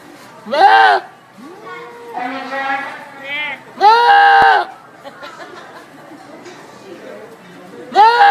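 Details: Goat from a compilation of funny goat cries, giving loud, wavering, nasal bleats that rise and fall in pitch, three bursts spread over eight seconds, with a person talking in English between them.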